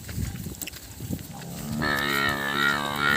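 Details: Cattle calves bawling after losing their mothers; a loud, sustained harmonic moo begins partway through and holds to the end, preceded by low thumps and faint background sounds.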